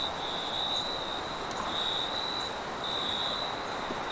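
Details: Crickets at night giving a sustained high trill broken into longer pulsing stretches, steady and unbroken, over a broad even hiss that may hold distant engine rumble.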